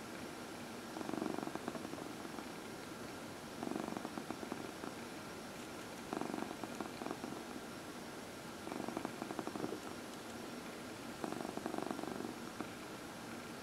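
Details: Elderly adopted female house cat being massaged during early evening lap time, a soft continuous purr with louder rhythmic bursts every couple of seconds, likely from the stroking, in a quiet indoor room.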